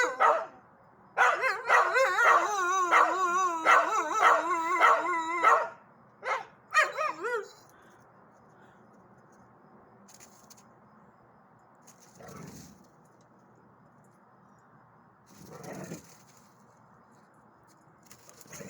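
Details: Dog; howl; responding to a fire truck siren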